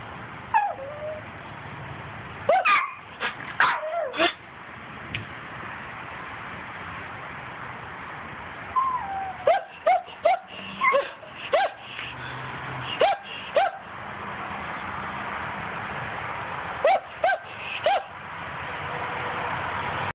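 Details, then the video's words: Dog out hunting squirrels, excited high-pitched yips and whines in rapid bursts of three to five, recurring every few seconds over a constant hiss, with faint low hum in places. "Just hunting squirrels"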